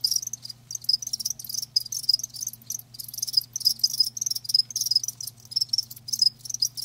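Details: Live crickets giving loud, shrill pulsed chirps in bursts separated by brief gaps, high and ringing, with a soft low hum in the background.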